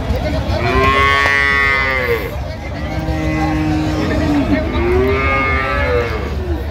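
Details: Cattle at the Ambari haat cattle market on 20/9/25, where cows and calves are sold, giving two long, rich harmonic moos that swell and fall, each about two seconds, over steady crowd chatter and market noise.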